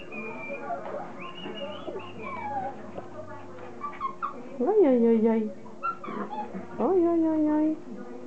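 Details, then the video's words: Playing Border Collie puppies, the litter of Kim and Indi, giving a busy mix of thin high squeaks, wavering whines and two loud yelps that drop in pitch, over a constant low hum. "Cachorros de Kim & Indi jugando"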